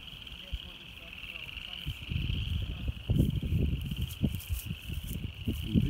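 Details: Upland chorus frogs calling on February 1, 2017, in habitat shared with a golf course: a steady, high, pulsing chorus of overlapping trills runs unbroken throughout, beneath heavy low rumbling and thumping noise that grows louder after two seconds.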